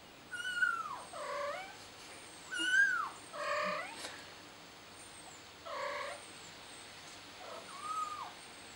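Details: Frightened kitten crying for its mommy, giving loud, repeated meows roughly every one to two seconds, some sliding down in pitch, others rough and buzzy, over a quiet outdoor background with faint high chirping.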